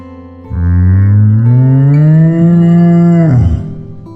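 A cow gives a single long, deep moo that slowly rises in pitch before breaking off.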